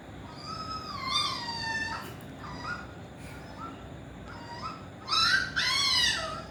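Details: Playing Pomeranian puppy makes drawn-out, wavering high whines that bend up and down, then two louder squealing yelps near the end, heard against faint steady indoor noise.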